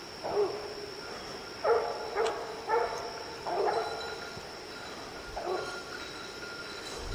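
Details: Treed quarry brings steady baying from hunting dogs Lillie, Dynomite and 14-year-old Sadie on an evening outing: about eight distant, ringing barks in uneven bursts, some doubled, over a low constant hum.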